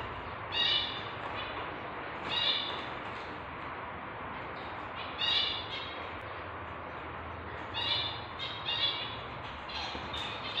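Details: A tabby British shorthair house cat in labour, delivering kittens: five bursts of high-pitched, piercing mewing cries, each a cluster of short harmonic squeaks, spaced a few seconds apart against quiet room noise.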